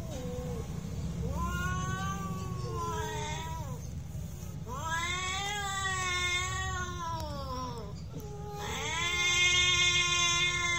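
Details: Real fight between domestic cats, with loud wavering caterwauls, long rich-toned howls that swell and sag, one voice answering another, rising to a harsher, higher wail near the end, over constant low background hum.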